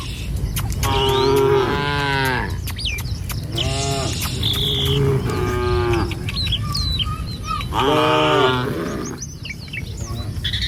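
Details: Morning herd of tame cattle walking a village road toward pasture; a series of moos, some short and some drawn out, repeats over low rumbling, with high bird chirps scattered through.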